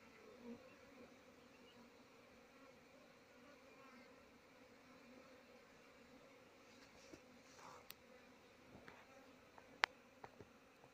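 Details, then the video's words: Desi honey bees crowding a hive described as full with no room left, a continuous low droning hum with faint higher buzzing layers and a few sharp clicks and taps toward the end. "Desi 🍯Honey bee 🐝 Home full no space"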